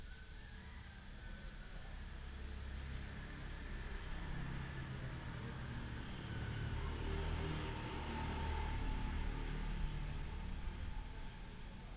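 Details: Steady broadband rumbling engine or aircraft noise fills the whole stretch, with no animal voice.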